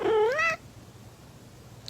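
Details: Kitten meowing once, a short rising-then-falling harmonic meow of about half a second, followed by quiet room background.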